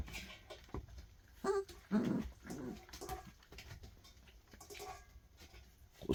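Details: A young black puppy from a litter gives a few short, loud, high-pitched barks on a chilly January 23 around 4:48 am at feeding time, while a person talks nearby.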